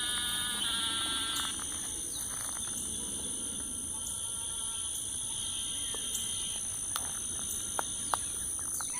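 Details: Evening chorus of frogs, at least three kinds, at Lake Houston Nature Park in Texas about 8 p.m.: short buzzy harmonic trills come and go beneath constant high-pitched insect whine, with scattered clicks.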